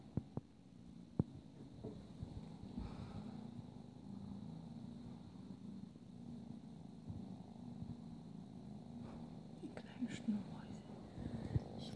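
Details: Twelve-week-old Ragdoll kitten together with its mother Isabelle, who no longer nurses her young but still plays with them; a steady, low rumbling purr runs throughout, with a few soft clicks and a quiet human voice near the end.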